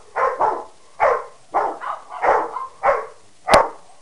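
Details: Harley the Peke mix, Sadie the Rottweiler and Wyatt the Mastiff/Pitbull barking at one another, about eight gruff barks, some in doubled pairs, with a sharp click near the end.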